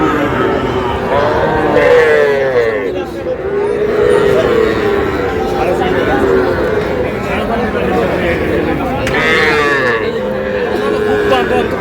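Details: Small Sahiwal bull and heifer calves bought by a Shariatpur farmer in Bangladesh, 11 August: several overlapping, wavering moos follow one another under constant crowd talk and background noise.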